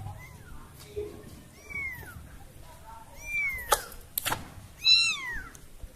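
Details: Baby cat that lost her family cries in a string of thin, high meows that rise and fall, spaced about a second apart, interrupted by two sharp clicks, with a quiet indoor background.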